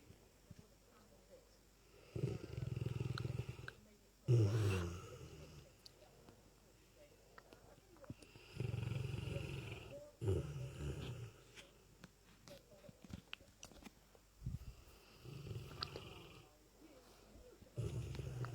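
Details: A lurcher asleep, snoring very loudly: deep, rough rumbling snores in bursts of one to two seconds, separated by quieter breathing and irregular pauses.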